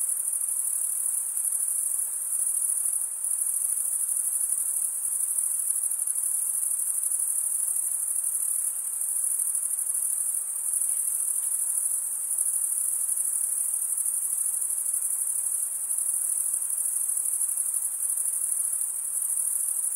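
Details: Male crickets stridulating by rubbing a toothed wing vein against the other wing, producing a steady, unbroken high-pitched trill that holds constant throughout, with no other sounds breaking through.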